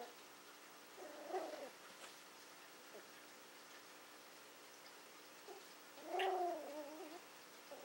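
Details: Willow, a female Toy Fox Terrier born in April 2012, plays with a pig's ear she is trying to figure out. Two short, tonal, whiny grumbles rise and fall, about five seconds apart, in an otherwise quiet indoor setting.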